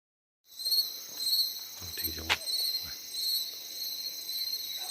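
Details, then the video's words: Insects calling at night in Uttarakhand, India: steady high shrill trilling bands with pulsing rhythm throughout, briefly overlaid by a low murmur and a sharp click near the middle. "ऐसी आवाज आपने कभी सुनी है क्या कीड़े मकोड़ों की"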